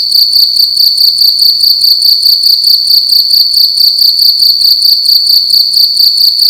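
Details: Cricket making loud noise inside a room at night: a high, shrill, pulsing trill held steady, beating rapidly in quick even pulses with no pauses, nothing else heard.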